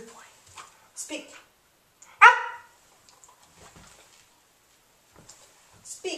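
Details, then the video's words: Remington, a 5½-month-old English Springer Spaniel, learning to bark on command indoors; one sharp, loud bark near the middle, surrounded by quiet human voices offering praise. "Remington - Learning to "Speak""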